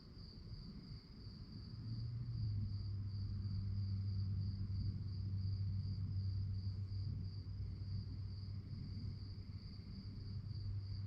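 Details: At night, crickets give a continuous high, finely pulsed trill, accompanied by a low steady hum and rumbling background noise.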